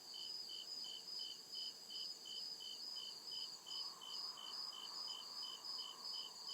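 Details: Real cricket sounds recorded in the deep woods after dark: rhythmic high-pitched chirps repeating briskly and evenly, backed by a constant thin insect whine and a gentle swell of lower hum toward the end.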